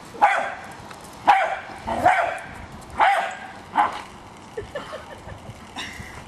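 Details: Pet Jack Russell Terrier Hali barks while attacking a remote-controlled car: five sharp barks about a second apart, then fainter yips and small sounds trailing off toward the end.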